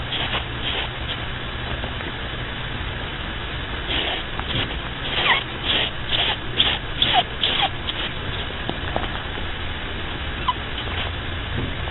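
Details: A bunny asleep and snoring, its short hoarse breaths recurring about twice a second and a little stronger midway, set against a constant low background drone.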